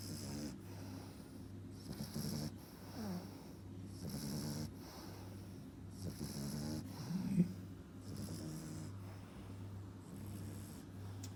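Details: Sleeping French Bulldog pup aged four and a half months snores in rough, rattling breaths about every two seconds, punctuated by one brief louder snort near the end, with a steady background hum.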